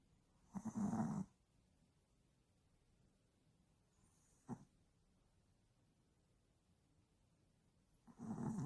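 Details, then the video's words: Tired Yorkshire Terrier asleep, snoring in two long, rough, noisy breaths about seven seconds apart, with a short faint snort between them; otherwise quiet. "피곤했다 오늘#코골이요키"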